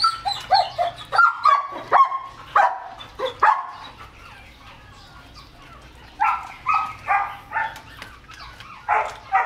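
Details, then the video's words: An eager male German Shepherd x Labrador cross waiting on raw chicken gives rapid squeaky yelps and whines, then pauses briefly before a burst of short, pitched barks. "Lovely Exited German Shepherd x Labrador Mix (Male) Eating Raw Chicken 3/4 kilos"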